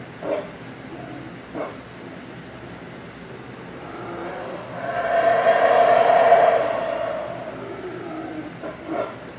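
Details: Howler monkeys give a few short gruff grunts, then a long rasping roar builds slowly to a loud, droning climax before dropping back to scattered grunts.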